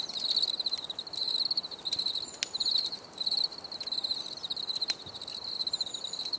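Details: Cricket chorus offered as relaxing nature sound, a shrill pulsed trill repeated in bursts roughly every second, a few sharp clicks and soft background hiss.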